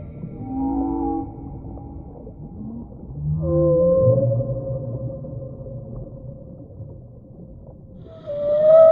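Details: Underwater whale vocalizations: low wavering moans and groans that overlap and drift in pitch, then a long level tone, ending with a sharp upward-gliding squeal, all over a steady low ocean rumble.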